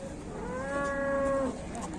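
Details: Cattle in Indonesia lowing: a single drawn-out, steady moo lasting about one and a half seconds, rich in harmonics, with faint background noise.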